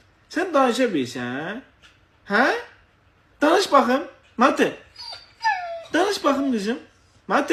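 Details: Husky indoors producing a series of warbling, moaning whines and short howls, each swooping down then up in pitch, separated by brief silences, with a faint low hum underneath.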